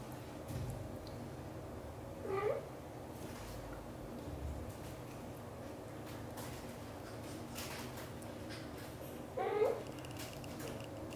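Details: British Shorthair kitten named Piano, wanting to leave the nest while mother cat Xaxa coaxes him to stay and play with his siblings, gives two short, rising-then-falling meows about seven seconds apart over a low, steady indoor hum.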